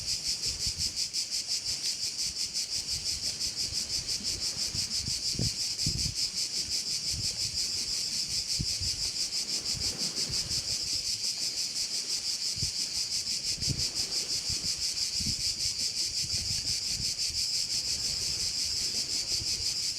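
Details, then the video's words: Crickets calling at a bay in Korčula: a dense, shrill, high-pitched chorus that never stops, with a fast steady pulsing throughout. Occasional low thumps and wind rumble sit underneath. "view of one of the bays in Korcula with sounds of crickets"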